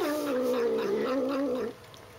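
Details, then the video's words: Female domestic cat making her usual noise while drinking water: a steady, wavering, warbling moan held for nearly two seconds, then cut off abruptly into quiet. "Funny cat noises."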